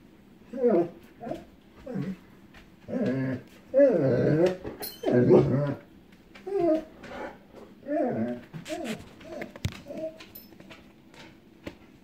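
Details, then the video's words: Echo, a female pet dog, barking and whimpering indoors in a small room as lightning starts in the distance before a storm, afraid of storms; short harmonic yelps and whines in irregular bursts, some loud and drawn-out, separated by brief pauses. "Echo HATES storms"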